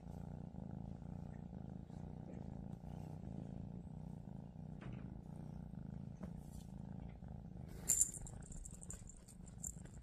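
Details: Steady deep purr from a lilac female Scottish Straight cat, unbroken and even for the whole stretch, with a short high squeak or rustle late on.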